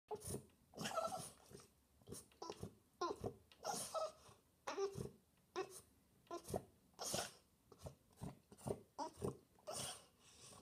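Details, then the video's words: French Bulldog indoors seeking attention: a rapid series of short snorting, grunting bursts with breathy huffs, roughly a dozen in ten seconds, in a small room. "French Bulldog looking for attention"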